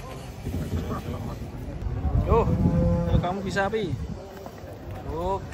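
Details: Huge cattle being unloaded from a truck one morning give short, bending moos that rise and dip in pitch, with a deep rumbling background and a brief final rising call.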